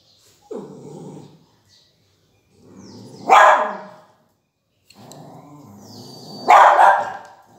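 A beagle puppy gives a few sharp, high barks, each preceded by a low rumbling growl.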